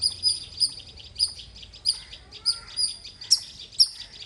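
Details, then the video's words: Short burst of loud squirrel chirping: high, sharp notes at an uneven pace, some closer together, a few louder accented chirps near the end. "Loud Squirrel ❤️ Chirping Sounds - Squirrel Lovely sounds 🐿 | ఉడత అరుపులు మీరే వినండి.."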